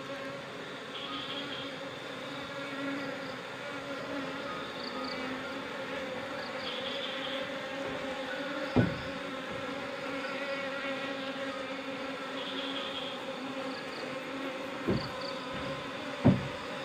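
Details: Wild Apis cerana honey bee colony being moved into a hive box in the afternoon after its queen was caught; a steady droning buzz with layered harmonic hum throughout, faint high whistled tones and a few sharp knocks.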